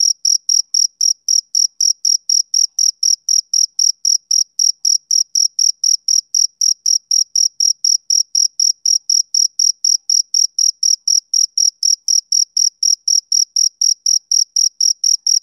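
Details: Summer-evening chirping of a male cricket, bright high-pitched pulses repeating roughly four times a second in an unbroken, metronome-like rhythm across the whole stretch; no other sounds.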